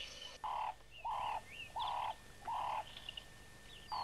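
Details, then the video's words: Spotted hyena cubs on old VHS footage: a series of short, even, nasal squealing calls repeated about every 0.7 seconds, with softer chirps and squeaks between them and a steady background hiss. "Spotted Hyena cubs"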